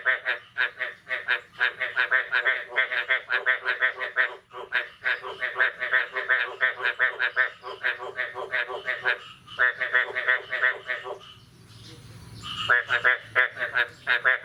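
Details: Frogs croaking steadily on the morning of 9 May 2022 following the first rain of the year: dense, continuous run of raspy pulsed notes from overlapping callers, a short lull near twelve seconds, then the calling resumes.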